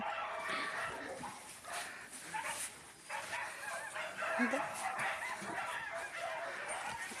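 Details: Yakutian Laika giving a run of short, mid-pitched yapping barks with whiny, harmonic edges, about one and a half per second and irregularly spaced, over a murmur of human voices.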